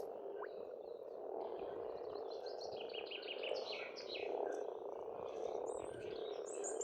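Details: A spring frog chorus on a farmstead in Estonia: a thick, ceaseless bed of croaking with a gentle swell midway. Small birds add quick repeated chirps and trills overhead.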